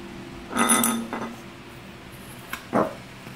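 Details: A Shih Tzu reacting to a Japanese bottle gives a few short, throaty vocal bursts, with faint glassy clinks nearby.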